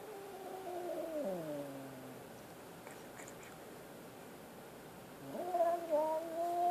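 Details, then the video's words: Frightened kitten with a long meow that slides downward and fades, a quiet gap, then a rising, wavering cry that holds steady at the close. "Scared kitten"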